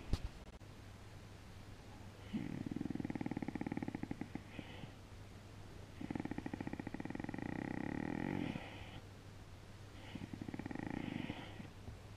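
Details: A purring dog gives three low, rumbling pulsed bursts of two to three seconds each, separated by quiet breaths, over a faint steady hum.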